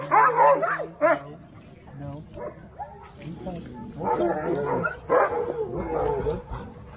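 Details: Sled-pulling Alaskan Huskies at Snowhook Adventures, Willow, Alaska: bursts of sharp barks at the start and again after four seconds, with a quieter gap between and people talking nearby.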